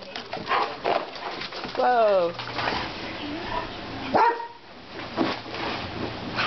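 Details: Two pet dogs, Navarre and Holly, playing together in a living room; a drawn-out, falling, tonal whine, then a short rising yelp, among scuffling and panting noises, with people talking, laughter and music in the background.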